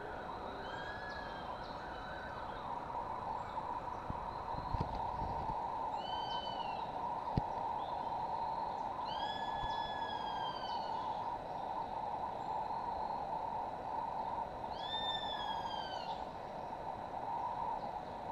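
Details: Sloths fighting at La Kukula Lodge, Playa Chiquita, Puerto Viejo, Costa Rica, February 2011: several bouts of high, arched whistled cries with stacked overtones, each swelling and falling, over a steady buzzing insect drone.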